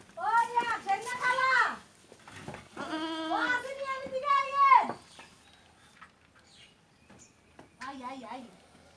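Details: Goat about to be sold, recorded on a trip to the seller's house in Bengal; several loud, wavering bleats fill the first five seconds, followed by one softer bleat near the end, with brief human voices.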